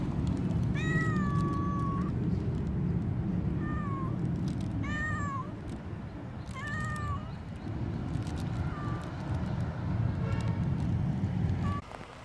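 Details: Stray tortoiseshell cat that turned up early in the morning, pestering with a run of about six drawn-out meows, each arching then falling, spaced one to three seconds apart, over a steady low rumble of traffic.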